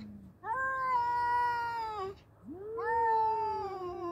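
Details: Two fighting male cats produce sustained, tonal yowls, each drawn out for about two seconds and sliding slowly downward, over a faint low hum.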